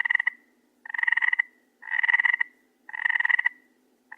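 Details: Frog heard at night producing harsh pulsed croaks in quick succession, roughly one per second, each a rough rattling burst of about half a second.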